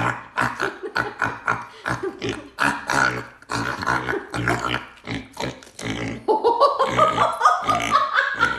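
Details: A pet pig squeals loudly in a rapid series of harsh, grunting squeals, ending in higher rising whines over the last two seconds.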